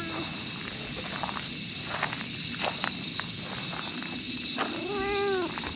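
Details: Stray tortoiseshell cat in a park, angered by jealousy as a tabby gets stroked, gives a single wavering, arched meow late on, harmonics stacked above it, while shrill insects buzz steadily and faint rustling taps sound.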